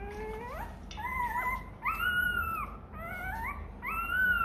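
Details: Rottweiler puppy crying from hunger for milk: a rising whine opens, then several sustained, slightly arching whimpers follow, roughly one every second, with brief gaps between them.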